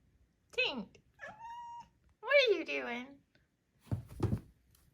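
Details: Four-month-old female Maine Coon kitten indoors giving little trills and chirps: a sharp falling chirp, a short steady tonal trill, then a longer warbling, wavering call, followed by a brief rough vocal burst near the end.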